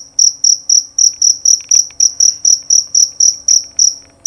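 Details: Male jerabang cricket with a loud, clear voice. Sharp, high-pitched chirps repeat steadily about four times a second, with a few faint clicks in between and no other sound.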